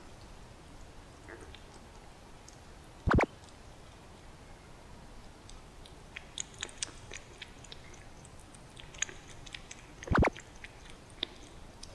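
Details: A quiet indoor room with a low steady hiss, soft scattered clicks and crunching, and two sharp knocks about seven seconds apart; no animal calls.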